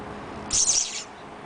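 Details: Charlie, a pet cat, during a sneezing fit: a single sharp, hissy burst of high-pitched noise lasting about half a second, with quiet room background before and after.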